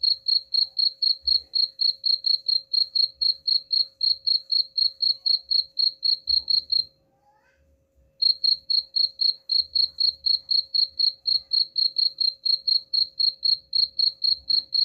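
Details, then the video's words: Cricket chirping, offered as a sound to repel rats: high, bright pulses about four per second in a steady run, a short silent break near the middle, then the rhythm resumes, over a faint steady hum and soft low thumps. "suara jangkrik pengusir tikus ampuh"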